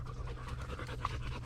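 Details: American Bulldog Lady Shiva pants during a hike on the Bear Lake Loop Trail, Blackwater State Forest; short, even bursts of low rough breathing with faint rustling, no other voices.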